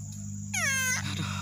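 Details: Young proboscis monkey left behind by its mother gives a single half-second cry, a bright harmonic note sliding steadily downward, over a constant low mechanical hum.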